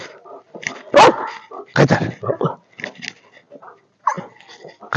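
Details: Belgian Malinois, a Belgian shepherd dog, giving loud, sharp barks in short bursts near the start, middle and end, with quieter vocal sounds and some human speech in between.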